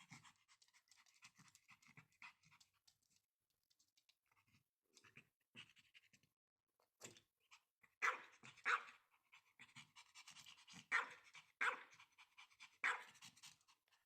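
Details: Pomeranian indoors, eager to play with a new toy yet afraid of it: quick, breathy panting puffs, soft and scattered at first, growing louder and more forceful in the last six seconds.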